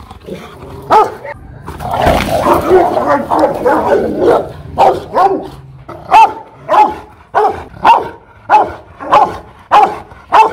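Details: Aggressive Rottweiler barking at a kennel in Hoàng Mai, Hanoi: a brief noisy jumble of rough sounds early on, then clear, powerful barks spaced roughly every half second, evenly repeated.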